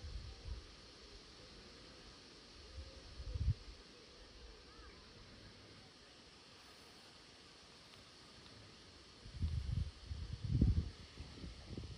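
Only low wind rumble and a few dull thumps over a quiet outdoor hiss, with no animal calls.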